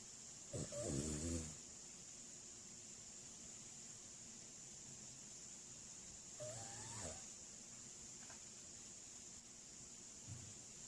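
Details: Shiba Inu from Seongnam, South Korea, snoring softly while asleep: two short, low, snorting breaths about six seconds apart, the second ending in a faint rising squeak, over a steady high electrical hiss.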